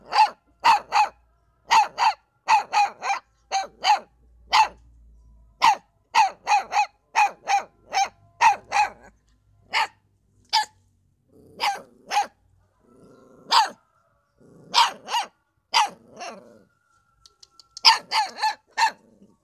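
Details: Dog barking loudly at a person it dislikes seeing, a long series of sharp, loud barks, single and in quick bursts of two or three, with brief pauses between groups and a few quieter, rougher barks midway.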